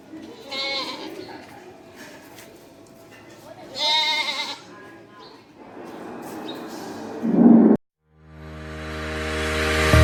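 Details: Black Bengal goats at a local goat farm in Bangladesh, pregnant females with kids, giving two loud wavering bleats about three seconds apart, with voices and background noise, then a sudden break into loud hum and static.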